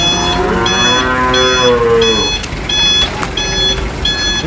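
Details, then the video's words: Cow being unloaded from a truck at a market gives one long, drawn-out moo lasting about two seconds, slightly falling in pitch, while reversing beeps repeat roughly every 0.7 seconds over steady vehicle noise. "funny cow unloading from truck at the market"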